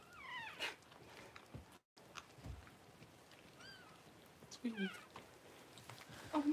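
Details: Newborn Cavalier King Charles Spaniel puppies, the first two born to mother Paris during a home whelping on January 1, giving thin, high, downward-sliding squeals in scattered bursts, with faint low background sounds between cries.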